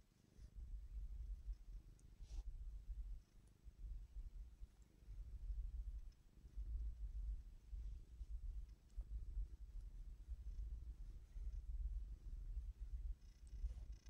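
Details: Pet cat being petted, purring softly: a continuous low, throbbing rumble that pulses steadily in time with breathing, with a few faint clicks and no other sounds.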